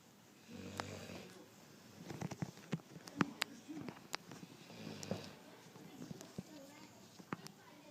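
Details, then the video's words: Nero, a 15-week-old Cane Corso/mastiff cross puppy, asleep and snoring: two low, rasping snores about four seconds apart, with scattered clicks and rustling between them. "Nero our Mastiff puppy snoring!"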